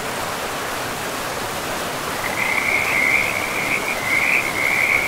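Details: In a pristine forest by a river, frogs start up midway with a high, rapidly pulsed trill that runs unbroken to the end, rising slightly in loudness, over constant rushing river noise.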